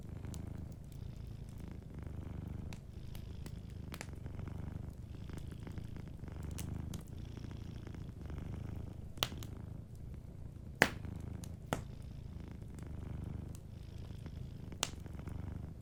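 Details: Sleeping cat purring beside a warm fireplace: a soft, steady low rumble that swells and eases in slow cycles, with sharp crackles and pops from the fire throughout.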